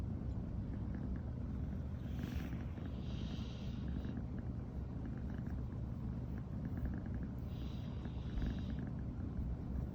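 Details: A brown tabby American Shorthair female named Riri purrs continuously in the morning after sleeping together for the first time. The deep, even rumble is recorded up close, with faint higher hissy rustles around two and eight seconds.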